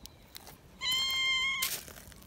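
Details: Shrill, steady screech from a young community cat excited at being picked up and held, one sustained high cry lasting under a second, ending in a burst of rustling.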